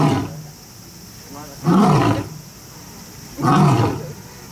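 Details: Two powerful, grunting roars from a lion or tiger at Kyoto City Zoo, nearly two seconds apart, each a loud falling burst, after the tail of an earlier roar.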